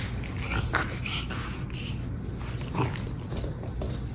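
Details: Charlotte, a small female French Bulldog puppy born with a cleft palate, sleeping with a funny face and snoring loudly: steady low rumbling breaths with snorting bursts, indoors.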